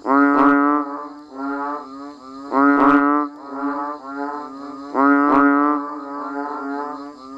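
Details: Banded bullfrogs and frogs chorus while it rains. Loud bleating notes burst out about every two and a half seconds, each followed by quieter trailing moans from other callers, over a steady thin high hum.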